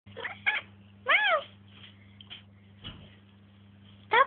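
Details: Siberian cat indoors at bedtime, talking back and forth with a girl: a few short arched meows with clear stacked harmonics, separated by pauses, with a child's soft voice and a low steady hum in the room.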